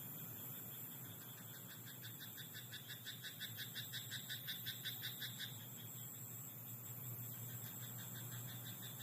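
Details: Frog croaking in a rice paddy at night: a quick train of rapid, rattling pulses swells from about two to five seconds and then stops, over a steady high insect-like hiss and a low background hum.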